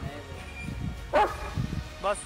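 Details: German Shepherd on a night walk: two short, sharp barks about a second apart, with a person speaking softly, faint background music and footstep noises.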